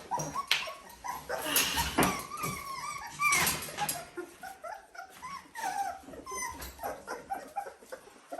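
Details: Dalmatian pups aged 17 days in an indoor pen; scattered thin squeals and whines among loud rustling and scratching bursts, cries clearer in the second half.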